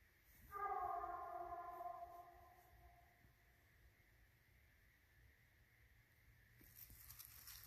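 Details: A Redbone Coonhound, one of two hounds tracking and treeing a raccoon at night on 11/9/19, lets out one long, mellow bawl that fades slowly.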